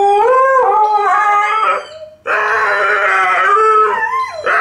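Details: Two dogs, a Malamute and a Husky, howling in chorus, loud harmonic howls with undulating pitch, a dip to near silence around two seconds, then a dense, strained howl with upward bends at the end.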